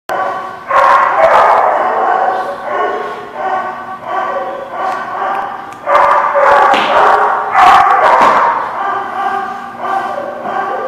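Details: Several dogs barking together at a lot; dense overlapping barks and yips with harmonic tones, loud and continuous with brief dips, some voices mixed in.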